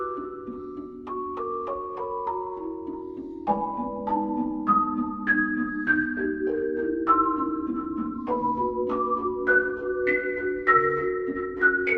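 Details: A bright marimba melody of plucked, ringing notes steps up and down over a soft backing, with no animal sound.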